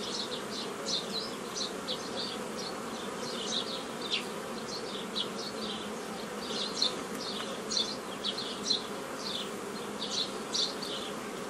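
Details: Honey bees at a hobby apiary in mid-May 2018, during nucleus formation from a foraging swarm; a constant buzzing drone overlaid by frequent short, high-pitched chirp bursts scattered throughout.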